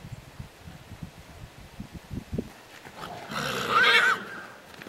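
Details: A Moriesian mare, sired by a Friesian stallion from Morgan lines, gives a loud, breathy neigh of about a second and a half after a stretch of soft hoof clops and rustling.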